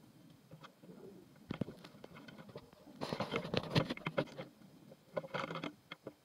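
Stag beetles clashing, with dry clicks, scrapes and knocks in uneven bursts.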